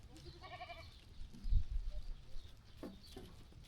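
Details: Sheep walking and grazing on a calm farm: a single wavering bleat with rich harmonics lasting under a second near the start, then low thumps and rustling from the animals moving about.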